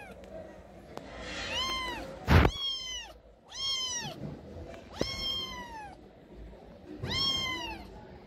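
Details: Lost stray cat with sick eyes in Morocco at night, pleading for help: five drawn-out, strongly harmonic meows that rise then fall, spaced one to two seconds apart, with a sharp knock and low street noise behind.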